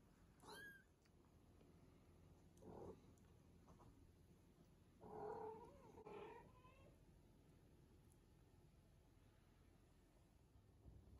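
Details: British Shorthair kittens, 19 days old, playing and eating with their mother cat. The litter is striped females and one unstriped male. Thin, high squeaky mews come early on, then a pair of louder wavering mews midway, amid soft rustling and movement noises.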